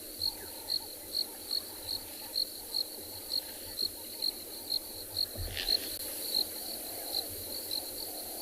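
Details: A cricket gives short high chirps about twice a second, steady and even, over other insects and faint distant birds on a hot summer afternoon safari, 22 December, in a South African game reserve.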